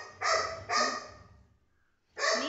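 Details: Rocky, a pet Golden Retriever, barks while being teased about getting angry: two quick loud barks close together, a pause of about a second, then another sharp bark.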